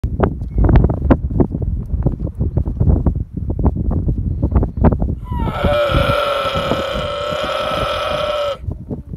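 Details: Baby camel calling: after about five seconds of low thumping and rustling, a drawn-out, harmonic bleating moan holds steady for roughly three seconds, then fades back into soft handling noise.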